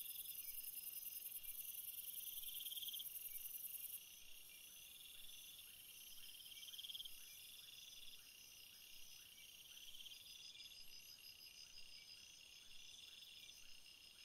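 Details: Crickets in a field of flowers, a dense chorus of high, pulsing chirps layered in several bands, with brighter trilled bursts standing out now and then over a steady insect hum.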